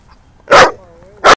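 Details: Tigger, a shy two-year-old, 20-pound Miniature Pinscher or Manchester Terrier mix, on his first visit to a dog park. Two sharp, loud barks come about 0.7 seconds apart, joined by a faint, thin whine.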